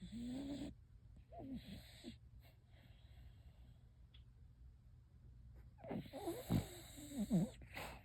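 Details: Sleeping dog, apparently dreaming, snoring. Soft snuffling breaths and low, wavering whine-like murmurs come in short bursts at the start and again near the end, with quiet gaps in between.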